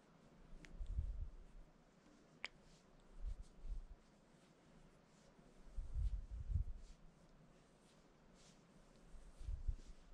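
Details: Cat sitting on its owner, purring and wanting pets, indoors; a low, soft rumbling purr swells in slow bursts roughly every two to three seconds, with faint light clicks and rustles between.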